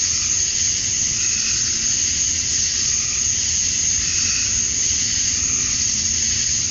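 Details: Georgia, USA, summer dusk: an unbroken shrill hiss of male cicadas calling to draw females, with a few soft lower wavering calls surfacing briefly in the middle of the steady drone.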